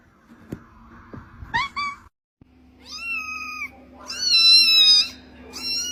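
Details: Kitten giving several high meows: short chirpy cries early on, then longer bright meows, the last loud and sustained, with a soft steady hum and faint tapping sounds in the background.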